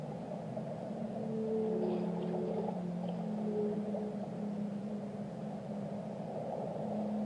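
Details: Whale song with low, drawn-out tonal moans, some held and some gently rising or falling, layered over a steady deep rumble of ambient ocean noise, with faint higher squeaks now and then.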